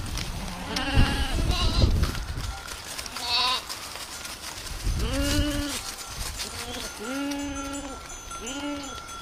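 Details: Goats in a village setting. The first half is muffled low rumbling and handling noise. From midway, several short, wavering bleats follow in quick succession, some overlapping, over a faint steady hum.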